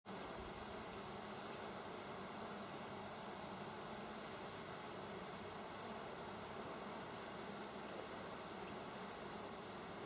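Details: Many bees hard at work, recorded on 27 August 2024, make a steady, dense buzzing drone that fills the whole stretch evenly. A few faint, brief high chirps sound in the background.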